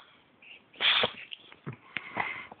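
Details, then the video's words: Pet cat named Monkey during a sneezing fit: one sharp, hissing burst of breath about a second in, followed by several shorter, softer snorts and sniffs, indoors and quiet. "Cat Sneezing"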